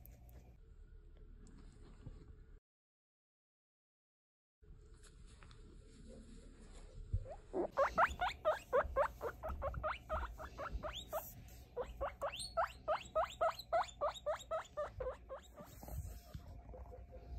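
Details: A baby guinea pig aged over three weeks, checked for weight and sex, starts a quick rhythmic run of short rising squeaks after a quiet handling start, about four per second, continuing to the end.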